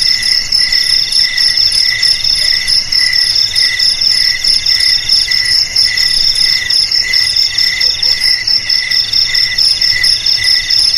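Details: Cricket chirping, played as a sound for driving rats away from houses, garages, storerooms and rice fields; a steady, high-pitched pulsing trill of rapid pulses in stacked bright tones, continuing unbroken through the whole stretch with no other sounds.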